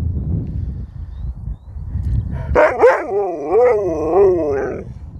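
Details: Sherpa, a chatty pet dog, answers his humans with a long wavering vocal "talk": after low rumbling background noise, a sharp bark-like onset slides into a warbling, rising-and-falling howl lasting over two seconds.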